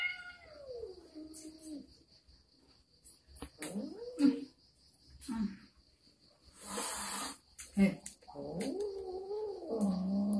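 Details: Pet cat facing an uninvited guest makes drawn, falling yowls at the start and a long wavering growl-like moan at the end, while a person repeatedly calls out hello and other noises clatter in between.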